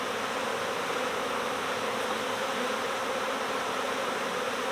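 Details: Brief stretch of a honeybee swarm's buzz, recorded during a next-door swarm recovery, heard as a dense, hissy drone without pause.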